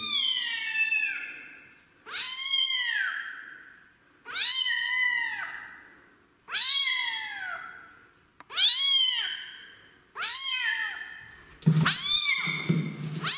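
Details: Kitten rescued from the street, unwilling during its first bath; loud insistent meows repeated roughly every two seconds, each rising then falling, six calls in a row, the last with a brief low sound underneath.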